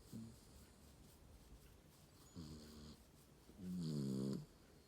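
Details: Sleeping Shiba Inu snoring. A brief faint snort is followed by two low, droning, harmonic snores, the first about half a second long and the second louder and nearly a second long, with quiet breathing gaps between them.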